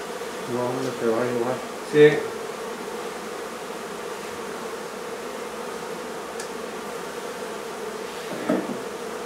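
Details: Continuous buzzing drone of a honey bee hive during its removal from a barn in La Feria, Texas, opening with a few spoken words and a knock, then steady humming with a faint tap late on.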